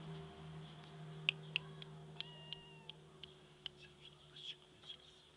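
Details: Black purebred Scottish Fold kittens give thin, high mews over a steady indoor hum.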